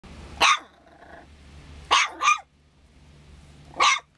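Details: San'in Shiba Inu puppy barking for no clear reason: three sharp, bright barks, the middle one doubled, spaced about one and a half seconds apart over a low background hum.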